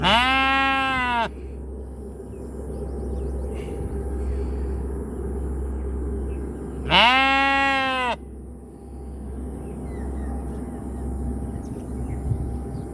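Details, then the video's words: Sheep bleating twice, a long harmonic baa at the opening and another about six seconds later, each curving down then levelling off, with quiet rustling and a continuous low hum between calls. "Sheep sound ৷৷ Baby love sheep sound"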